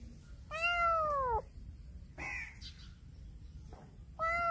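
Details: Loud meowing from a black cat circling a person; two drawn-out, downward-curving meows with a shorter rougher call between them, over a quiet indoor background.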